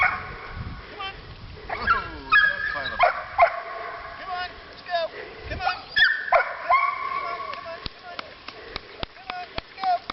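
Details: Puppies nearly six weeks old on their first outdoor walk whimper and yip in scattered, wavering, high-pitched cries, some sliding downward, while a person coaxes them forward and sharp clicks sound near the end.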